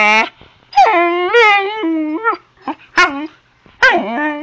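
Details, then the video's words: A not-so-little pet Husky puppy named Zoey talks back to her owner: sustained moaning vocalisations that waver and dip, followed by brief yelps and a final rising whine. "Zoey the Husky talking to me"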